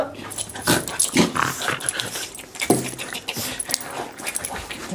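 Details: Border Terrier Harry greeted and cuddled at the end of the workday, indoors; breathy snorts and short grunting bursts come in uneven clusters, two louder ones about a second and a half apart, with soft human voices.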